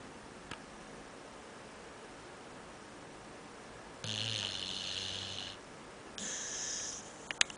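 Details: Sleeping dog lying on a couch like a man, snoring like a human: one long breathy rasping snore with a low rumble, then a shorter second breath, in a quiet small room.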